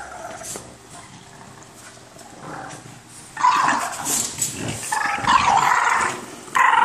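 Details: Boston Terriers squabbling over an orange toy: quiet scuffling at first, then loud, raspy growling bursts from about halfway through, rising and falling with brief pauses.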